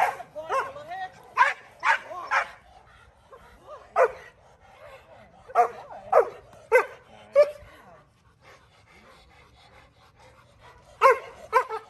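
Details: Male Rottweiler named Kolohe on his first day of protection training bite work, giving sharp barks in quick clusters of three or four, separated by quiet pauses, with faint voices in the background.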